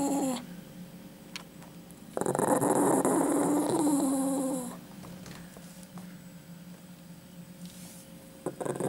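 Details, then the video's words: A pet dog guarding a chicken bone it won't give back, indoors: a single sustained rumbling growl of about two and a half seconds, with quiet room noise before and after. "Собака не хочет отдавать косточку - The dog won't give back a chicken bone"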